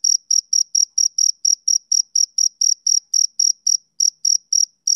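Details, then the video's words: High, rhythmic chirps from a male cricket on a summer evening, around four per second, with a brief gap near the end before the chirping resumes; no other sounds. "Cricket Chirping Sound Effect"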